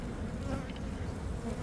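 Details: Western honey bees of a well-established, thriving older colony inside a meter box, preparing for winter, during a removal; a steady low hum of many bees throughout, with faint handling noises.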